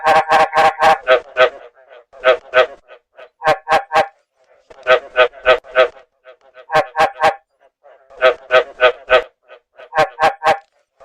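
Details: Rainy-season breeding chorus of field frogs, recorded as a lure for catching them; loud harsh croaks delivered in rapid clusters, several to a burst, alternating with brief silences and fainter notes.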